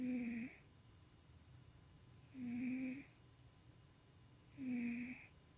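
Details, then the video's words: Sleeping house cat Tuxie snores as he dreams, heard indoors at night-dim lighting; three steady humming snores repeating about every two and a quarter seconds, each carrying a low tone with a hissy upper edge. "Somebody is dreaming & snoring!!"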